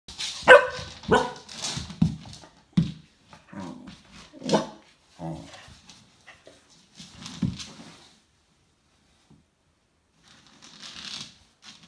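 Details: A male Cocker Spaniel seeing himself in a mirror barks in sharp, irregular bursts, some single and some in quick pairs.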